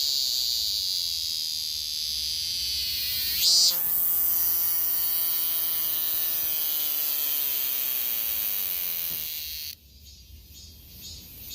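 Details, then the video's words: Cicada in 2023: shrill continuous buzzing, one sharp pulse, then a long slowly falling whining tone lasting several seconds before the sound abruptly drops away to faint buzzing. "2023매미 매미소리"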